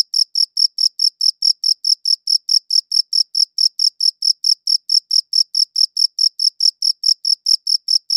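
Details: A cricket chirps in a fast regular rhythm, each short shrill pulse following the last at about a fifth of a second, recorded cleanly in high-quality audio with a quiet backdrop.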